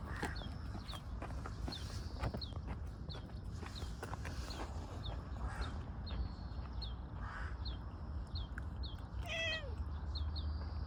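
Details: Stray tortoiseshell community cat photographed in a park, affectionately rubbing against someone, gives one short falling meow near the end, over steady rapid high chirping in the background and light rustling.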